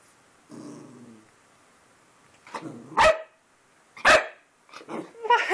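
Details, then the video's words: Puppy barking at himself in a mirror for the first time, indoors: a faint low growl, then several sharp, broadband barks about a second apart, with a person talking to him in between. "Who's that puppy in the mirror?"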